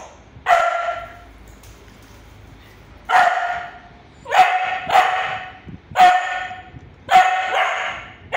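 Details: A 3-month-old Siberian Husky puppy gives sharp, high-pitched barks in separate bursts, an aggressive display.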